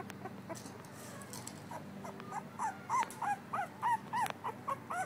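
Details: A female blue-nosed American Pit Bull Terrier puppy, Pearl, two weeks old, gives a quick run of short high squeaks, about three a second, after a quiet start with background hum.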